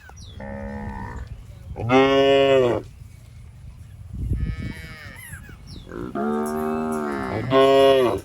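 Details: Fat, tame cows roaming a rice field and eating grass, mooing: four long, loud, harmonic moos, some rising then falling, two close together at the end, with faint chirps and light background music between calls.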